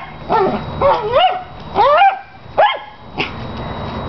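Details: Pet dog fixated on his big tennis ball gives annoying, piercing barks during play; shrill whining, upward-sweeping barks in a quick irregular series, the last one short and clipped, over a low steady background hum.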